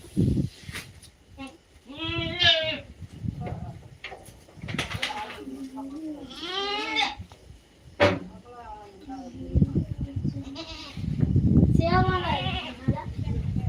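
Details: Native goats calling with several nasal, wavering bleats spaced a few seconds apart, over low rumbling background noise and some human voices.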